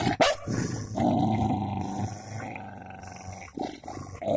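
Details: Golden Labrador and cocker spaniel in a fight, a continuous low rumbling growl with a sharp snap at the start and end.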